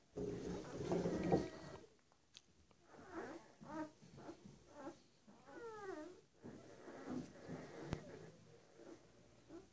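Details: One-week-old German Shepherd puppies indoors, a litter of six males and three females, giving high, thin squeals that slide downward, several quick descending whines in a row between softer grunting squeaks and rustling.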